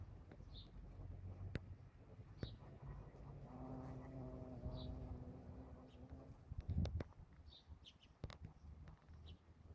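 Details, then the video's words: Bumblebee in flight: a steady low harmonic hum that swells for about three seconds mid-recording and then fades, with scattered short bird chirps and outdoor background noise around it. "IL BOMBO bumblebee"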